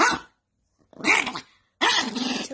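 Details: Indoors, an angry dog lets out three bursts of harsh, snarling growl-barks, each rough and noisy and close to half a second long, separated by brief silences.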